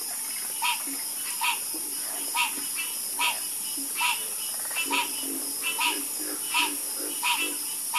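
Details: Croaking frogs in chorus, sharp bright croaks recurring at uneven intervals, sometimes in quick pairs, with fainter low croaks beneath and a steady high hiss behind.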